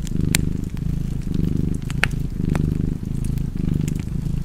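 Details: Cat purring in a cozy fireplace setting: deep, throbbing purr in slow breathing cycles about a second long, with small crackles and a few brighter pops from the fire.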